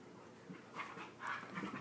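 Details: During friendly wrestling, a Husky pup of Husky, Chihuahua and Lab mix lets out short, rough, breathy growls and pants in a few close bursts, over low background hum.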